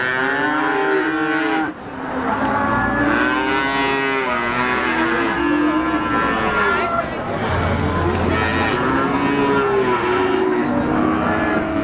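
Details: Many cattle at Siyono Harjo livestock market, Gunung Kidul, Yogyakarta, Indonesia, where young Javanese PO cattle are sold, mooing in overlapping, drawn-out lowing calls with wavering pitch, over continuous crowd chatter and market noise.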